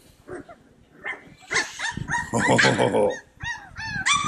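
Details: Playing Cane Corso puppies fill the air with quick yips and a noisy burst of overlapping barks and squeals, ending in a few clear high yips that rise then fall, repeated in a rapid string.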